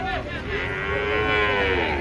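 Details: A single long, sustained moo with a slowly bending pitch comes from a giant cow unloading from a truck, over low engine rumble.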